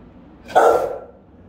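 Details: A single powerful bark from a Rottweiler guarding the house, one of three family guard dogs filmed by a camera. The bark is short, round and resonant, with quiet background before and after.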